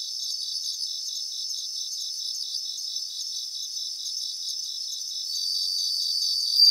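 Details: A grassland chorus of bell crickets: dense, evenly pulsed high chirping from many singers blends into a continuous shimmer, with a brighter, louder ringing note breaking in near the end.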